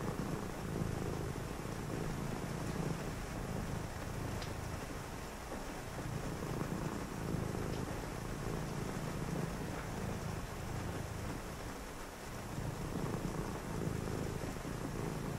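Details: Domestic cat purring on a rainy night beside a reader; low rumbling purr rising and falling in breath-length cycles of about three seconds, with steady rain and thunder in the background.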